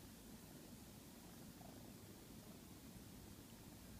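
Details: Domestic cat purring softly and steadily while being coaxed awake from sleep, a low continuous rumbling pulse with no other clear sounds.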